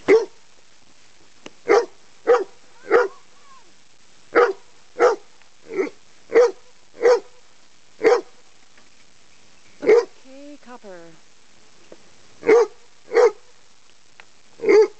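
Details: Chesapeake Bay Retriever named Copper barking at a big black snake the cats had been playing with; loud, short single barks spaced roughly every half second to a second, with gaps, and a brief faint squeal near the middle.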